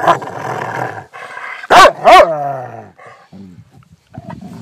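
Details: A female Rottweiler, acting tough to impress her owner though otherwise very kind, growls low and rumbling, then bursts into two harsh, loud barks.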